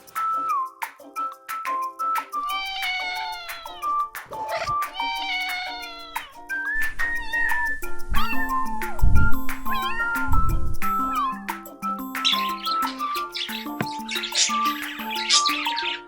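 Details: Cat meowing over steady background music: a series of drawn-out, arching meows rising then falling in pitch, clustered in the early seconds, followed by more music and scattered thumps.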